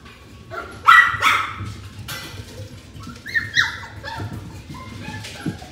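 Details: Twin Maltese puppy sisters born on 5 September, kept at a shop, give high, thin squeals and short yelps, some sliding down in pitch.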